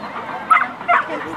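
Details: Airedale Terrier named Kujira at an agility competition, beginner class, 10 March 2013, after being disqualified; two sharp, loud barks about half a second apart over a public-address announcer's voice.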